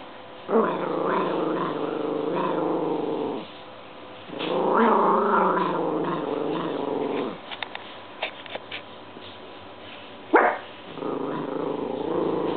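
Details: A house dog growls at a washing machine turning in an unusual way on its dry cycle: long droning growls of a few seconds each, separated by short pauses and a few sharp clicks and yips.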